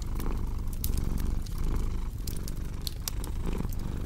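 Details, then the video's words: Low purring rumble from a cat beneath busy fireplace noise, with frequent bright crackles and pops from burning wood sitting prominently over the soft purr. "Purring Cat with Cozy Crackling Fireplace Sound"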